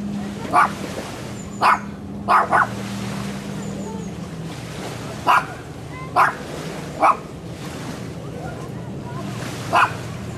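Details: Dog barking, filmed handheld with a Sony FDR-AXP55 camcorder: eight short, punchy barks at uneven intervals, two in a quick pair, over a steady low drone and broad background rush.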